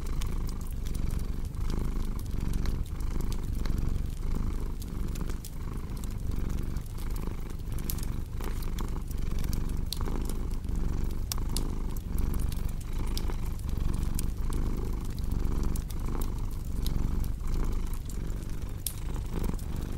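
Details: Domestic cat purring steadily indoors: a deep, low rumble that swells and fades with each breath, roughly every second, while a fireplace crackles and pops with sharp bright snaps throughout.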